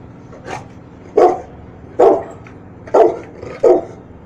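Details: One-year-old Rottweiler barking on the "speak" command during training; five deep, loud barks spaced roughly every second, the first softer, with steady background hum.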